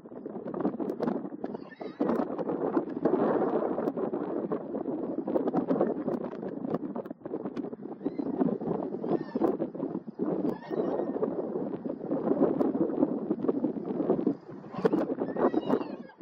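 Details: Dominant wild Garrano stallions clash in Serra do Suído, Galicia, July 2024. Continuous harsh, noisy squealing and grunting fills most of the recording in long waves, with occasional thuds and short gaps.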